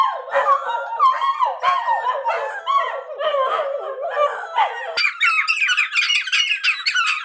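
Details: A dachshund, one of several that howl whenever their owner walks out the door, howls in long, wavering, yodel-like notes that suddenly jump higher near the end.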